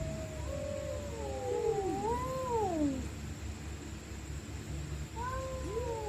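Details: Stray cats fighting at night: two overlapping wavering, whining screams rise and fall together for about three seconds, then a pause, then fresh yowls begin, with constant low hum beneath.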